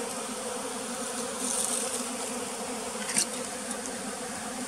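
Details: Bee farm in the flooded forest of West Tonle Sap Lake, Cambodia, where a pearl's bee was found; continuous, even buzzing hum throughout, with two faint high clicks near the middle and end.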